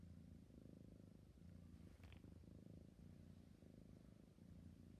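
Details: Deep rhythmic purr of a sleepy kitten, throbbing in regular breath-paced waves, with a brief soft click or rustle near the middle.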